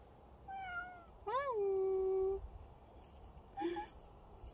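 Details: Dog-like pet cat in a quiet room: a soft level meow, then a loud rising-and-falling meow held for about a second, and after a pause a faint short chirp-like meow amid light rustling.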